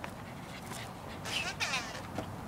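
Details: An 8-week-old purebred male Rottweiler puppy gives short, high, falling whines on hearing his owner's voice faintly over the phone.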